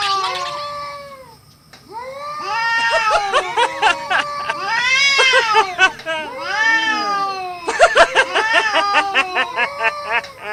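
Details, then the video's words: Cats in a fight utter long overlapping caterwauls that arch up and down in pitch, bending and wavering, with sharp clicks and scuffle noises toward the end. "Cats Fighting with sound"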